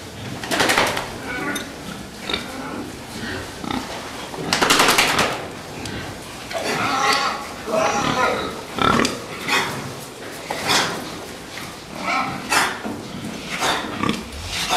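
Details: Fattening pigs grunting and squealing in short bursts throughout, mixed with clattering and a human voice in the background.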